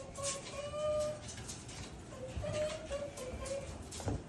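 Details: Japanese raccoon dog voicing its delight at a visit from its father, giving drawn-out, slightly rising whines, then a quick series of shorter whimpers, with faint rustling and knocks behind.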